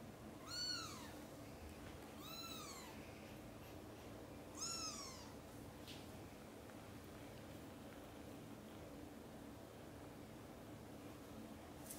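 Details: Mama cat calls her kittens, busy at play and asleep, to wake up for lunch time; three clear, arched meows about two seconds apart, then near silence with faint room hum.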